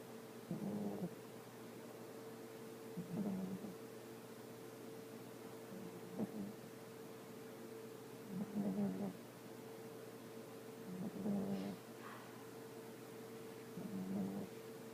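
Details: Young female dog snoring while asleep: low, rumbling snores repeated every two to three seconds, over a steady electrical hum.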